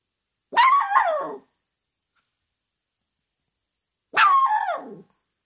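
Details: Miniature Schnauzer puppy, grumpy just after a bath, gives two drawn-out, whiny, complaining barks about three and a half seconds apart, each falling in pitch at the end, with silence between them.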